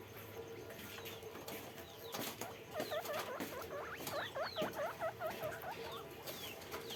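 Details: Caged guinea pig on a farm giving a quick run of repeated rising-falling squeaks, about two per second for several seconds, after a quiet start, with fainter higher squeaks from other animals and a low hum.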